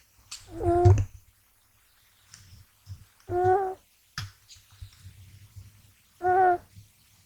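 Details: Gash, a young male American Shorthair kitten, sleeps soundly and snores without waking as he is handled; three steady, humming, tonal snores arrive about every three seconds with faint rustling between.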